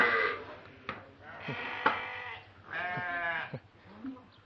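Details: Stressed cattle being weighed in a farm pen, raised for Qurban sacrifice; several short bellows, the clearest one lasting under a second near the middle, mixed with knocks and people speaking.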